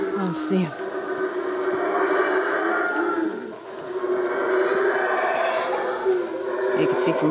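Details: Deep, breathy roaring from howler monkeys in Belizean jungle, caught with a consumer camcorder: continuous rumbling waves that rise and ebb, dipping briefly near the middle before building again.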